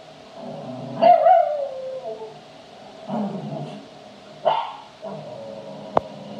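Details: Cavalier King Charles Spaniel playing, giving three short bursts of barking and a brief howl-like whine near one second, separated by quiet pauses, with a sharp click near the end.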